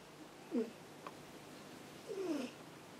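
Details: Ameta, a pet cat lying by a computer in a quiet room, gives two short mews, a brief chirp and then a longer falling one about a second and a half later, over a faint background hum.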